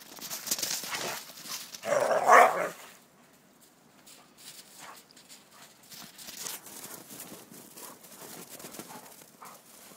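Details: Red rust Dobermans playing in the snow give a short burst of rough, harmonic barking or growling around the two-second mark, then the scene falls quiet apart from faint rustling and scuffling.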